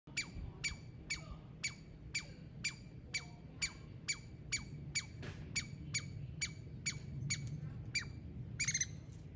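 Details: Squirrels fighting over peanuts, with only enough for one. A sharp, harmonic call repeats about twice a second, steady and evenly spaced for roughly eight seconds. It ends in a brief, louder burst. Low background rumble underneath.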